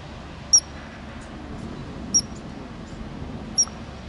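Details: A ground squirrel in Glacier National Park gives sharp, high, very brief chirps spaced about every one and a half seconds.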